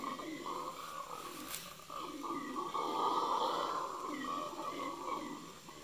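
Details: Red howler monkeys in Yasuni National Park in the Ecuadorian Amazon Basin, near Napo Wildlife Center, on 21 November 2018, give a deep, rasping roar that swells and fades in a rolling, pulsing chorus.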